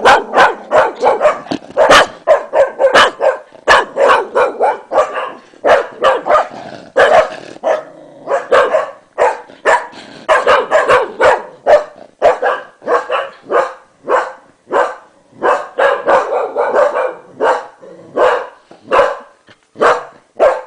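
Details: English Cocker Spaniels Max and Gina at home, Max barking at his owner after a sneeze while Gina chases him away; a long, continuous volley of quick, sharp barks.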